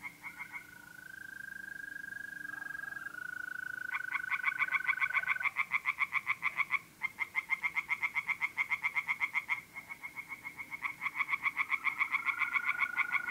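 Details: Tree frogs singing in a pond at night in mid-April, North-East Italy: rapid, evenly pulsed croaking series lasting several seconds each, with brief pauses between bouts, over a steady high trill of mole crickets.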